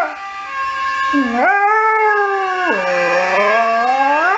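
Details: A Saluki howling in response to emergency services sirens: a long, loud, tonal howl that rises, holds steady, then drops and slowly climbs again, with rich overtones throughout.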